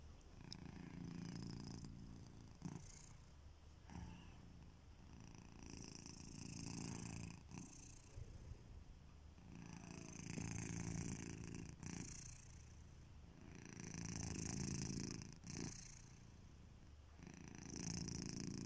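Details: Kitiboy, a pet domestic cat, snoring while asleep: low rumbling breaths swell and fade in slow cycles every two to three seconds, each with a soft airy hiss on the exhale, in a quiet room.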